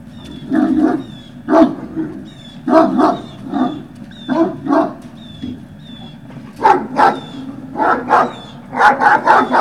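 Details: Great Dane puppies yapping at Puppy Hill, 18 November 2018, early afternoon: a long run of sharp, irregular yips and short barks, some doubled, with thin high whistled tones faintly repeating behind them.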